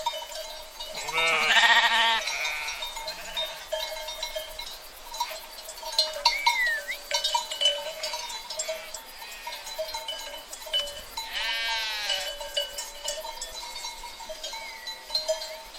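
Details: Flock of sheep: a loud, deep, trembling bleat opens, another strong quavering bleat comes near the end, with fainter distant bleats between and steady ringing tones with clinks in the background.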